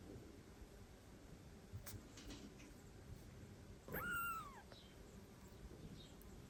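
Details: Domestic cat, an older female meeting newly adopted foster kittens in a shared room; a single rising-then-falling meow near the end, with a quiet household background.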